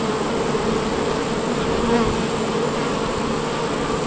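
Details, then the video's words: Worker honey bees gathered at the hive entrance of a bee farm produce an unbroken, even buzz, a thick droning hum from many insects at once. "Worker Honey Bees"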